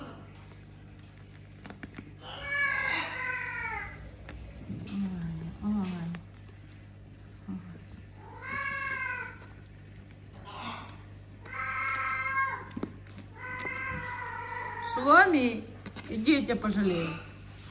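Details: Mother cat with her kittens in a house shared with many animals calls again and again: about five drawn-out, wavering meows a few seconds apart, each rising then falling. A steady low hum runs throughout.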